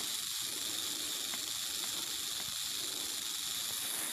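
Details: A western diamondback rattlesnake's rattle, heard as a continuous dry, high-pitched sizzle that holds even in loudness from start to finish.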